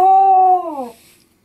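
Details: Devyn the Corgi, indoors, protesting being told what to do: one sustained tonal howl-like whine, held steady for over half a second, then sliding downward and fading out, with a voice repeating the dog's name around it.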